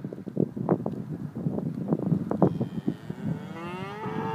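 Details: Cattle on the Ring of Kerry, Ireland, lowing in short, low, rough pulses that repeat irregularly, while a vehicle or engine tone rises in the final second.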